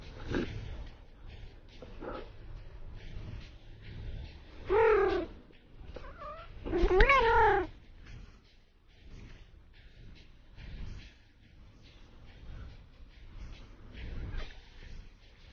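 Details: Domestic cat in a funny compilation: two loud wavering meows around five and seven seconds, the second rising then falling with strong harmonics, amid background music and some murmuring voices.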